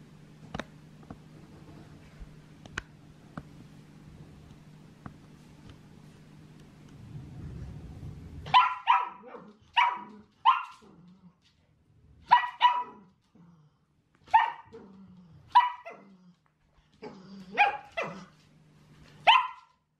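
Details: Chelsea, a seven-month-old female Shetland Sheepdog puppy, demand-barking indoors during training with a Gentle Leader headcollar; after quiet room hum, a run of sharp, high barks comes in irregular bursts, some doubled, roughly every one to two seconds.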